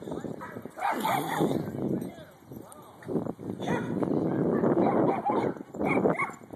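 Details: Mika, a ten-month-old Shiba Inu, playing with another dog at Fullerton's Pooch Park; loud bursts of rough barks and yips come in clusters with short pauses between them, over people talking in the background.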